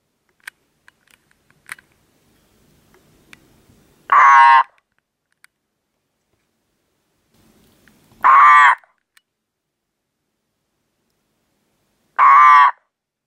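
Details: A pet ornate horned frog calling nightly in spring gives loud, harsh, crow-like pulsed croaks, each about half a second, roughly every four seconds.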